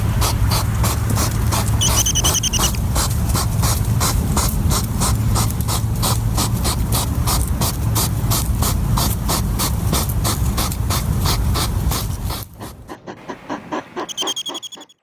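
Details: European hedgehog (Erinaceus europaeus) on a summer night in a garden sniffs rapidly and steadily, almost mechanically, short breathy puffs about three times a second.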